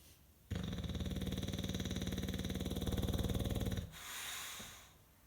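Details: John "Rambo" Von Lucky, a five-year-old English Bulldog, sleeping: one long, steady, rattling snore of about three seconds with a fast vibrating buzz, then a soft exhale.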